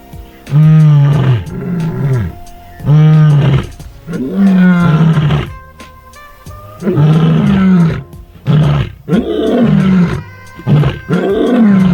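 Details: Lioness contact calling, possibly after becoming separated from the rest of her pride, with only two members seen: deep moaning roars that rise then fall, given in long bouts with shorter grunting calls between, faint music underneath.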